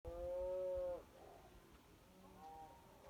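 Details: Cows mooing at night near Kyneton on 26 May 2023: one long, steady, low droning moo lasting about a second, then a quieter, shorter moo about two seconds later, over faint background rumble.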